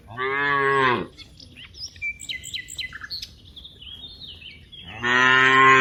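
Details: Cow among dozens in a wide rice field: a deep, resonant moo opens, a few seconds of twittering birds follow, then a second loud moo closes the recording.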